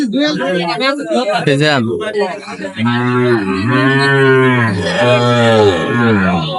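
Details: A man talks about price at a Bangladeshi cattle market, 23 May 2025, then a Sahiwal bull bellows a sustained, deep, harmonic moo lasting nearly four seconds, rising and falling slightly.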